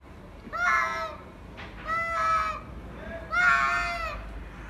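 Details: Two cats meeting, one giving drawn-out, wavering yowls in three harmonic-rich bursts, each about half a second to a second long, rising and falling slightly, over low background hiss.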